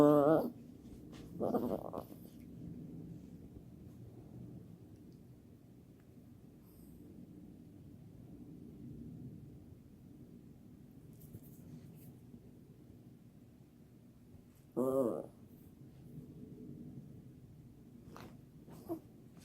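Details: Seven-month-old Jack Russell puppy and a mini Chihuahua playing, with Sadie the puppy acting wild: two quick high yelping bursts at the start, a long quiet stretch of soft rustling, then another sharp yelp and a brief final squeak.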